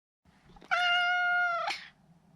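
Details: Meow of a neutered male Maine Coon, kept indoors as a pet: one long, level, steady mew lasting about a second, richly harmonic, ending with a short soft rise; quiet room otherwise.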